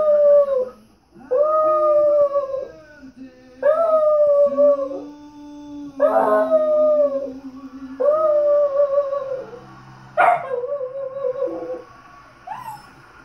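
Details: A dachshund howls along as a man sings Happy Birthday, giving long, wavering notes that dip at the end, one after another, with the singing underneath.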